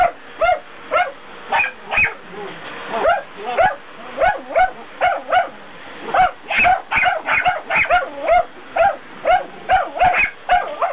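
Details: A dachshund makes a fuss at a running vacuum cleaner while running away from it, barking in rapid, insistent bursts of several sharp yaps each second.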